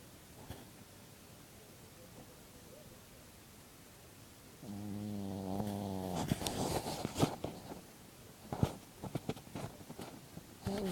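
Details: Dog sleeping indoors gives one low, rasping snore after a few quiet seconds, followed by scattered clicks, rustling and handling noises.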